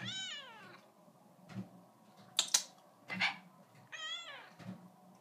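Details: A female seal point Siamese cat, a little over 4 years old, sits in a bathroom sink and chatters to her owners with drawn-out, falling meows between a few sharp knocks.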